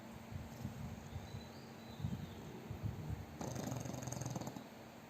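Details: Sleeping fat pug snoring heavily and loudly, a low grumbling rattle that runs throughout and swells into a stronger, harsher snore for the last second and a half.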